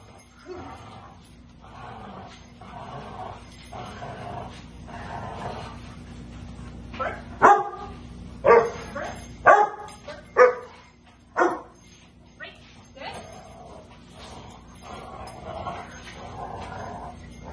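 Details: Indoors in a basement, a female Rottweiler in protection and bite training, March 24, 2021, gives loud, sharp barks about once a second for several seconds mid-recording, amid muffled voices and steady room noise.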